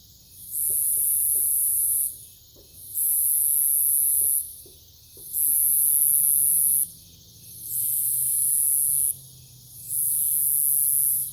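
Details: High sizzling cicada song fills a nighttime forest by a farm in Omaha, Nebraska, 2021, rising in two-second bursts with brief pauses between them. A few soft clicks, and a faint low hum underneath.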